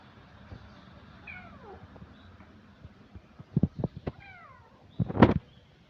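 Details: Orange kitten meowing: a faint falling meow early on, then two rising-and-falling harmonic meows near the end, with soft knocks and rustling between them.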